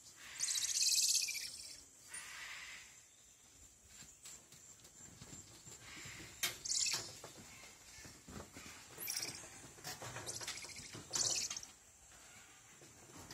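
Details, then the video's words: Squirrel monkeys giving high, thin chirping calls in short bursts, a loud squeal near the start and several sharp chirps later, separated by quieter gaps with faint background rustling. "Squirrel Monkeys / Totenkopfäffchen"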